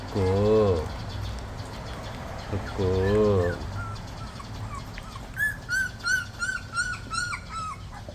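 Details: Jindo dog puppies whimpering: a run of high, thin whines with a slight rise and fall, repeated about twice a second in the second half, after lower wavering vocal sounds at the start.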